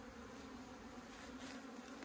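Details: Bees droning at an open hive on a Hakka beekeeping farm in Meilin, Puning, Guangdong, China, as the hive is being covered again. One continuous, even-pitched hum fills the whole stretch against faint background hiss.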